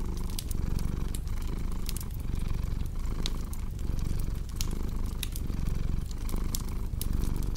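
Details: A low purring drone from a cat runs under dense crackling and popping of a fireplace, with the purr's breath rhythm faintly audible.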